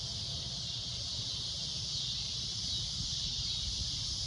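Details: At sunset, a cicada holds a loud, shrill, unbroken drone, with a low rumble underneath.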